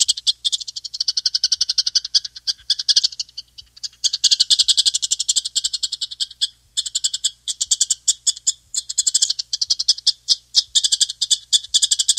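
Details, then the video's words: A chipmunk calling in long runs of fast, high, clicking chips, with brief pauses near three and a half and six and a half seconds before the steady chipping resumes; no other clear sounds. "Звук бурундука"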